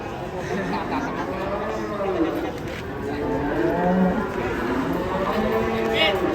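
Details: Agitated cow, described as running amok, lowing in long, wavering moos that rise and fall in pitch, with people talking and laughing close by.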